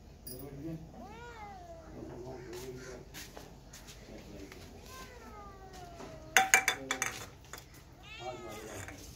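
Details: Kittens and cats meowing among background chatter: several short rising-falling mews, a burst of clattering around the middle, then another series of quick high mews.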